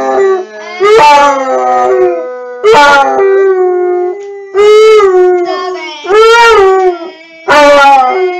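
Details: Basset hound howling: six loud, drawn-out harmonic howls over about eight seconds, each swelling then sliding slightly in pitch, separated by short quiet gaps, with no other clear sounds.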